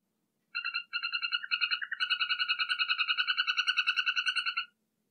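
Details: Poison dart frog calling in a rapid pulsed trill of clean, ringing notes, starting in short broken bursts and then running as one steady trill for about three seconds before stopping; silent background.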